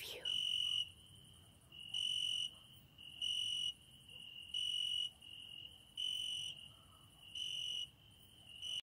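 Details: At a window at night, a cricket sings. About seven high, shrill half-second bursts recur roughly every one and a quarter seconds, with a softer steady trill filling the pauses.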